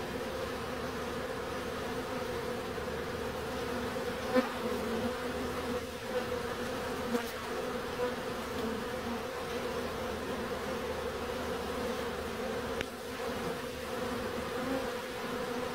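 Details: Steady humming of bees across the whole stretch, layered droning tones with a few soft clicks and taps scattered through.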